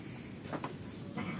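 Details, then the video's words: Garut sheep raised near a simple village house in Kampung Sedekan, Desa Mekarlaksana, Sindangbarang, Cianjur Selatan, in a rural setting; two short, faint, wavering bleats, the second starting near the end, over a quiet outdoor background. "Ternak Domba Garut"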